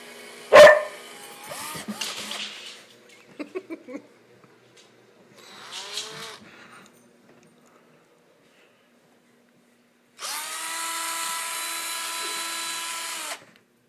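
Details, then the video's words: Owen, a border collie afraid of noises and above all the drill, lets out a sharp bark, then softer yips and a whining sweep, before a drill whirs loudly for about three seconds near the end. "Dog vs. Drill"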